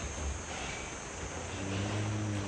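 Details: Low droning moo from a large cow at a cattle pen in Indonesia, a harmonic-rich bellow rising in the final second over a steady background hum.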